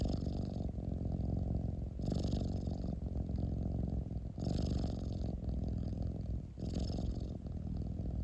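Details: Pet cat giving a steady, deep rumbling purr. It alternates between inhale and exhale phases about every two seconds, the tone shifting slightly at each switch, in a quiet indoor setting.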